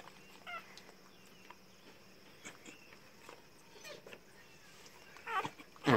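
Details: Newborn Rottweiler and Indian pariah dog cross puppies while their mother gives birth: soft, scattered high whimpers, then a louder rising-and-falling squeal at the very end, over a quiet background hum.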